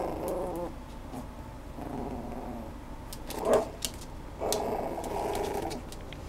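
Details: Schnoodle giving low, harmonic whining calls in short drawn-out bursts, with a brief sharper yelp near the middle and a longer whine toward the end, indoors with faint clicks and rustling.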